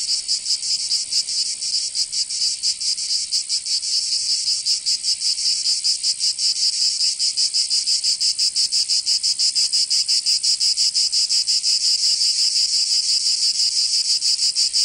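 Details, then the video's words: Provence summer cicadas filling the air with an intense, shrill buzzing that pulses fast and evenly, swelling slightly louder toward the end, nothing else audible. "Canto Cigarra 🦗 [ Escuchar les cigarras en verano 10 H]"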